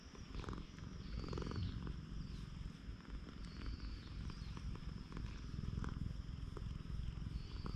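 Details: Continuous deep purring from a stray cat on a cat island as a man keeps stroking it, recorded with a GoPro HERO8; even, fast low throb with breathy surges, plus faint high-pitched whistles and light touching sounds.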